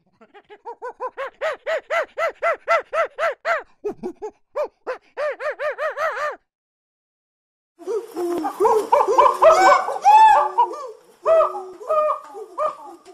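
A chimpanzee gives a quickening series of breathy hoots that breaks into loud, harsh screams.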